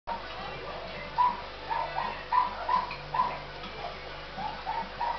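A Miniature Dachshund gives a string of short, high whining yelps in quick succession.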